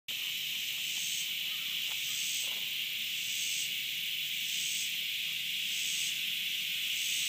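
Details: A cicada, recorded 30 August 2013, drones with a steady, high, hissing buzz, with brighter pulses surging about once a second.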